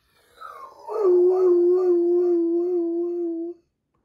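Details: Big Doberman crying indoors while its sister is in surgery: a drawn-out, steady moaning howl begins slightly higher, then settles into a long level tone of about two and a half seconds before stopping abruptly.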